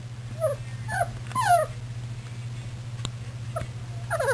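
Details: Puppies milling about on 24 February 2010, giving several high, falling whimpers in quick succession, a brief pause, then more whining squeaks with clicks and a steady low hum in the background.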